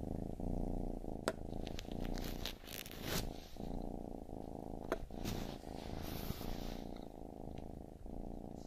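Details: Close, rumbling purr from a baby kitten, deep and even with rhythmic breath cycles, punctuated by a few sharp clicks and light rustling sounds.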